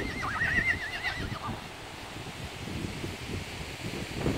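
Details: Horse whinnying once, a high, quavering call lasting about a second that wavers up and down before fading, followed by low, steady rumbling and scuffing noise with soft thumps.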